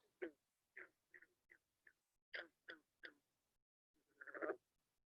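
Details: A green frog in the Chicago area gives short, twangy plucked notes, like a loose banjo string or a snapped rubber band.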